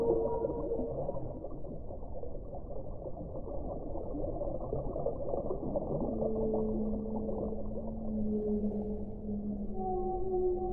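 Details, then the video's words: A whale sings long level moans, a higher tone early and then a lower sustained note gliding on for several seconds, set against a steady, thick background roar. "1 ora di suono delle balene"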